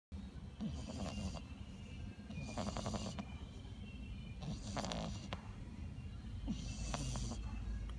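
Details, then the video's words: A sleeping French Bulldog snores loudly, each rasping, wheezy breath returning about every two seconds. "French bulldog sleeping and snoring so loud."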